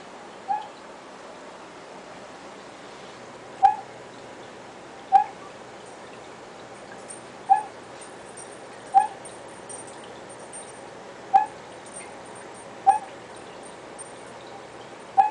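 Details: Captive male Vietnamese Mossy Frog calling at night: short, sharp clicking chirps repeated about every one and a half seconds at a steady mid pitch, over a constant low hiss.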